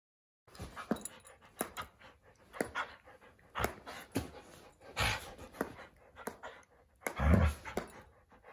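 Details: Doberman playing with another dog that chomps at him loudly; sharp snapping jaw clicks at irregular intervals between bursts of breathy panting, with a heavier low thump near the end.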